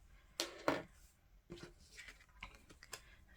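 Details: Sharp rustles, snips and taps of paper being handled in a small room. No animal voice is heard at any point.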